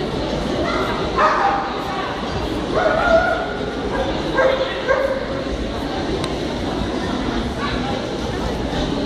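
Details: Rough Collie male, Merlaze Magic Nathan Blessed, in the champion class at the KLS Fauna dog show on 9 April 2016; short harmonic barks come in an irregular run of bursts over a steady indoor hubbub of crowd chatter.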